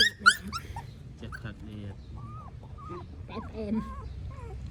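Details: Whimpering newborn puppies, household pets in Cambodia: a loud squeal opens, then many quick wavering whines and squeaks, some rising and some falling, with a person talking in the background.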